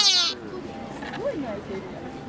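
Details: At Nara Park, Japan, a deer gives a brief, soft bleating call that rises and then falls, after an opening burst of noise.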